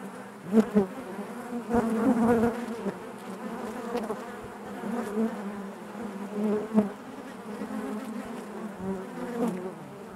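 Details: Honey bees buzzing inside their hive: a dense, steady hum with a low droning fundamental and stacked overtones, swelling and fading in loudness with brief sharper buzzes as individual bees pass close.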